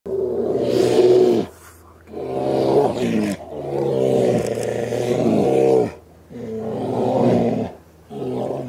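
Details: Two huge male Alaskan brown bears fighting in the wild in Alaska; loud harsh roaring bursts of about a second each, five bouts separated by short pauses, deep and gravelly with strong low harmonics.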